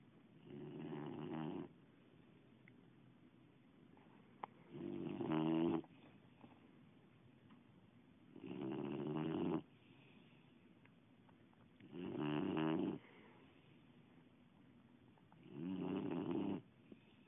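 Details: A sleeping Boxer dog snores indoors: five long, rough, droning snores of about a second each, coming roughly every three and a half seconds with quiet breathing pauses between.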